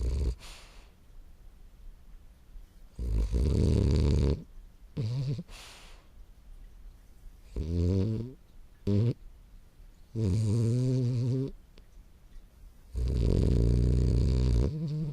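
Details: Ten-month-old French Bulldog Morio asleep, snoring: a run of low, raspy snores of varying length, some short and wavering, others over a second long, coming every couple of seconds with quiet gaps.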